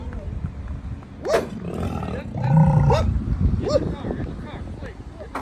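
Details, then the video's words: Huge bison walking along a road in Yellowstone National Park during the rut: a deep, rough, roaring bellow swells for about a second midway, with shorter low grunts around it and people's voices nearby. "Yellowstone Bison Rut"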